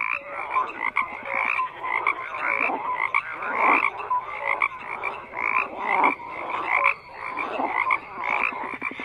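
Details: Frogs croaking en masse, a rough, crackling chorus that pulses in uneven bursts, with occasional clear short tones and a faint higher whine near the end.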